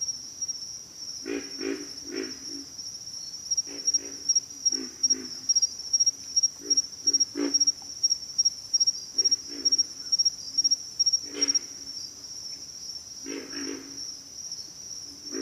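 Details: Chorus of pig frogs grunting in uneven runs of deep, croaking pulses, often doubled or tripled, repeated throughout against a constant high-pitched insect whine.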